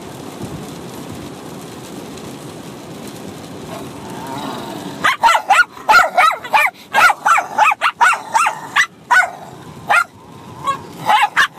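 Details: Bichon Frise puppy of six months and a dog fighting and playing, barking back and forth: quiet start, then a dense run of high, slightly whiny yaps and barks, overlapping and irregular, continuing to the end.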